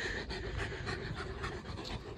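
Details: Leonberger dog panting hard and steadily, quick rhythmic breaths coming about three or four times a second without a break, breathy and noisy throughout, recorded indoors at home.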